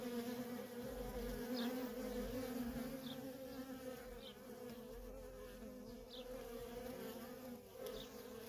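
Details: Constant buzzing hum from busy worker honey bees at a wild feral colony, the drone wavering slightly in loudness, with small high falling chirps scattered roughly once a second over a low background rumble.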